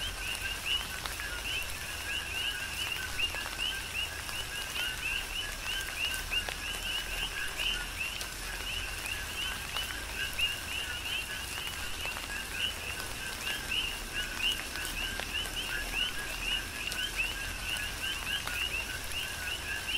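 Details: Chorus of coqui frogs recorded during a tropical rain shower on Hawaii's Big Island; many overlapping 'co-qui' chirps, each a brief low note followed by a rising whistle, come continuously beneath constant hiss and drops of rain.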